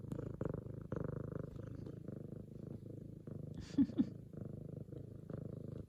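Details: Indoor F2 Savannah cat greeting her owner home from work, kneading and purring loudly; low even pulsing purr throughout, interrupted briefly near four seconds by a short burst of a woman's voice.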